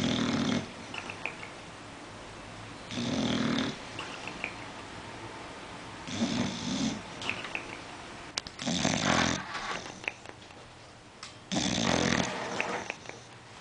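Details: Otto, a sleeping bulldog, snores in a room in loud, raspy bursts about every three seconds, each breath a rough rumble separated by quieter pauses with soft wheezy whistles.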